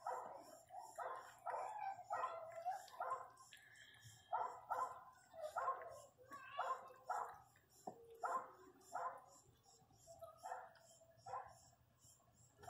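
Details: Female Pinscher crying loudly while giving birth to her first puppy; a long series of whining, moaning cries, some in quick pairs, others drawn out and wavering, repeating about every half second with short pauses.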